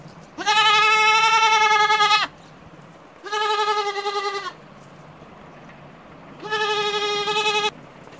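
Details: Goat giving three long, steady, rich bleats, the first nearly two seconds long and the others slightly shorter, separated by pauses of about one to two seconds over low background noise.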